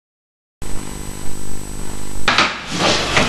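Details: Silence gives way to a constant electrical hum, then sharp clinks and knocking clatter near the end, with no animal voice.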